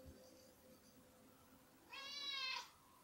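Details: Domestic cat meowing at feeding time in a home with several cats, including a Maine Coon tabby and a young kitten: one clear harmonic meow of under a second, steady then falling, after quiet room noise.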